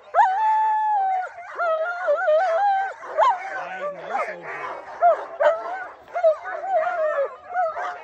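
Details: Female Alaskan Malamutes Sojou and Dotty with a larger sled dog team before a run pulling a cart; sustained high whines with wavering pitch, mixed with short yips and a brief low growl, many dogs calling together.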